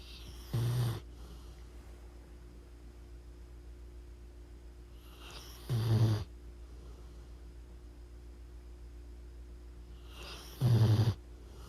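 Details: Sleeping pit bull snoring loudly: three deep, rasping snores, each under half a second, spaced about five seconds apart, with a faint steady hum between them.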